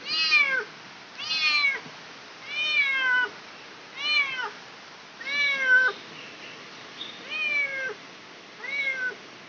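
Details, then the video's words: Cat giving birth, meowing in clear, loud, downward-bending cries about once every second and a half, seven calls with short pauses between, indoors. "Kucing Melahirkan"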